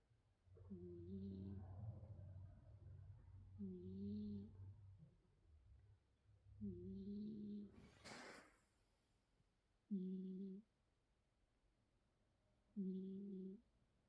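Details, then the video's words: Sleeping cat snoring indoors: tonal, slightly whistled breaths in a low register, each about a second long, repeated roughly every three seconds, with a low rumble under the first few and a brief rustling burst midway. "코고는 냥이~#잠잘때#코골이"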